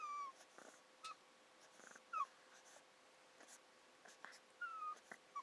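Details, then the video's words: Zion the Pug, a pet dog, happy while receiving a massage indoors, gives thin, high, slightly falling whimpers: about six short whines spaced irregularly over a few seconds, with faint rustling between them in a quiet room. "Zion The Pug VID00801 happy massage"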